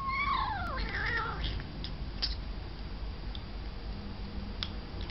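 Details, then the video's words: Pet cat in a funny compilation, one loud descending meow that slides down in pitch over about a second, followed by soft background hiss, low rumble and faint clicks. "Cats Compilation 2017"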